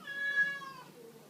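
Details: Female cat at Hana no Ki shelter, where the American Shorthair Chris and black-and-white Hachimaru play with a feather teaser toy, gives a single clear, fairly loud meow lasting under a second, steady then dropping at the end, in a quiet room.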